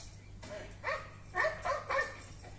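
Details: A West Highland White Terrier, barking while watching the movie "Dog", gives a quick run of sharp, mid-pitched barks with a faint low hum behind.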